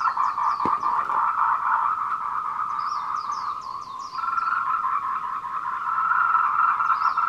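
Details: Tree frogs giving mating calls at 14:00 on 26 April 2018 beside the Meiling Wulong Trail, Nanxi, Tainan, Taiwan, recorded on a Canon PowerShot SX720HS; an unbroken pulsing chorus, a sharp click early on, and repeated series of high chirps.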